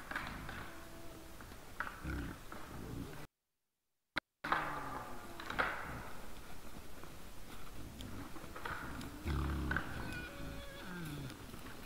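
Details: Wild boars in front of a trail camera on the evening of 17 December 2022 at 20:17: low rough grunting with a few higher rising squeals, a short gap of silence midway, faint background hiss.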